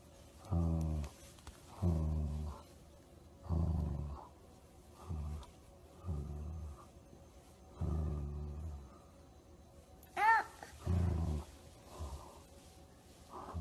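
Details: Golden Retriever giving a series of low, throaty, harmonic groans roughly every one and a half seconds, about nine in all, with one brief higher rising whine partway through; quiet background between calls.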